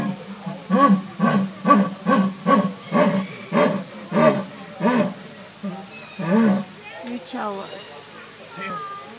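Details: Orson, a jaguar at the San Diego Zoo, making noise: a run of about a dozen deep, rasping, harmonic grunts spaced roughly half a second apart, then softer irregular sounds, with people's voices nearby.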